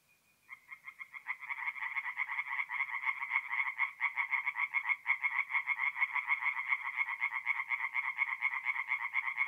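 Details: Singing tree frogs at a forest pond at night in mid-April, North-East Italy; after a brief quiet start, a dense chorus of rapid, raspy pulsed croaks builds and carries on steadily, with no other sounds.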